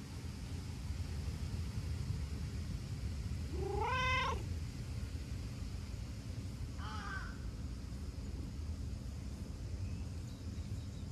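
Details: Chatty brown tabby-and-white stray cat answering petting with rubs and licks; one drawn-out wavering meow, then a shorter softer meow three seconds later, over a constant low rumble.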